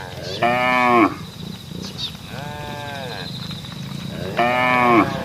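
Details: Cattle on a road, mooing to call the herd: two loud, harmonic, slightly falling moos at the start and end, each about half a second, with a fainter drawn-out moo between them.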